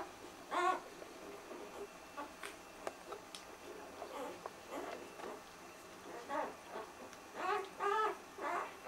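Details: A litter of puppies just two days old makes thin, wavering squeaks and whimpers, some rising and falling, scattered irregularly with soft rustling between them.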